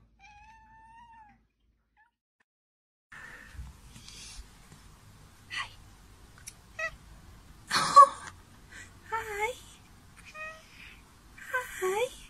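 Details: House cat, earlier caught biting while its feet were wiped, trades a string of short chirpy meows with a person's chatter indoors; a thin drawn meow opens, then bursts of talk and brief mews alternate.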